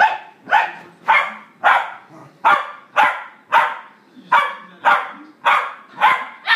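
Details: Dogs playing rough, a four-year-old female with an eight-week-old puppy in their first play fight: a steady run of about twelve sharp, bright barks, nearly two per second, with little else heard.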